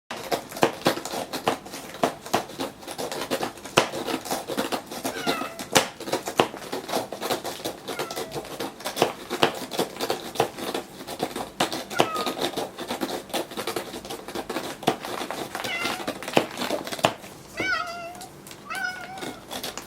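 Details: Gon, an elderly rescued domestic cat with end-stage FIV, scratches a scratching board intently one morning indoors: dense rapid dry rasping strokes throughout, with a few soft high meows mixed in.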